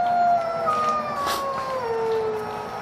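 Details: A wolf gives a long howl that slowly slides downward in pitch over steady background noise, with other faint voices behind it.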